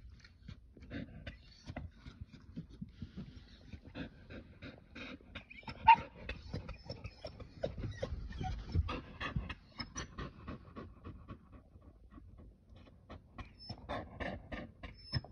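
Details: An excited Keeshond watches a rabbit in the yard. It makes short, high whines and whimpers between quick, breathy panting. Light tapping and clicking noises run throughout.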